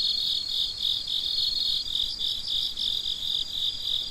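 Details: Night-time crickets in full chorus around midnight: continuous high-pitched chirping that swells and fades in quick regular pulses, several insects overlapping, nothing else audible.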